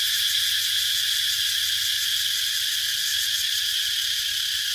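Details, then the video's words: Shrill cicada buzz, high and hissing, sustained without pause at a steady loudness and fading only slightly toward the end. "Cicada sound"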